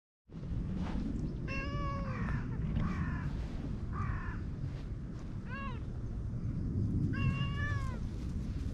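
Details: Ginger tabby and cream cat, a pair always together, resting side by side on a bench. Five clear, tonal meows come over about seven seconds, some drawn out and falling, one short and arched, over a steady low outdoor rumble.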